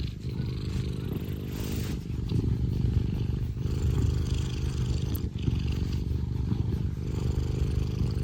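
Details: Scottish Fold cat Tino, an affectionate house pet, purring hard: a rough, low, continuous throb that swells slightly in the middle, with light scraping noises now and then.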